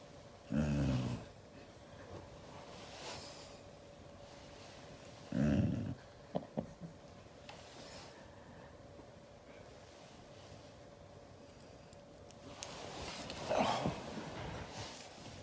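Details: Siberian Husky reacting angrily to being hugged indoors: short low rumbling growls at about one, five and a half and thirteen and a half seconds, separated by quiet stretches with faint handling noises.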